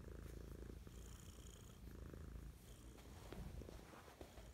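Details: Morning purring from Mischa, a house cat showing affection: continuous low rumble with rhythmic inhale and exhale phases about a second long, soft background hiss.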